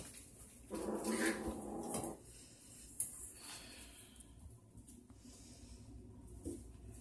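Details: Kitten hissing at a Siamese cat, described as vicious yet still playing with him; a harsh broadband hiss lasting over a second near the start, then quieter shuffling and a short sharp knock in a small room.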